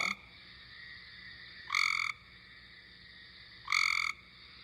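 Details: Cope's gray tree frog call, played back during a naturalist's livestream on April 10, 2020, to tell it from the similar eastern gray tree frog: harsh buzzy trills under half a second long, repeated roughly every two seconds, steady faint background hiss.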